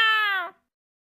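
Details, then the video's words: Pet cat wearing a rabbit hat gives one clear, strongly tonal meow of about half a second, holding steady then dipping slightly before cutting off, in an otherwise quiet room. "꾸~우 고양이"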